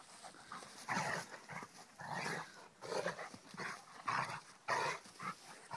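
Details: Kheelo, a Rhodesian Ridgeback, at play alongside his friend Triton, giving loud gruff growls in separate bursts about once a second, each rough and noisy with quieter gaps between.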